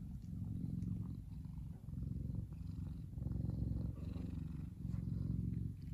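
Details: Big male F2 Savannah cat named Kumba relaxing in the sun, purring deeply; rhythmic low rumble swelling and easing with each breath, roughly every second.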